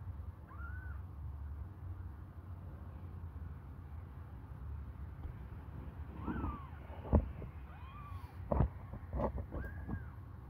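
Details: Hungry kittens suckling a finger give several short, arched mews, spaced irregularly across the recording, with sharp knocking thumps near the end over a steady low rumble.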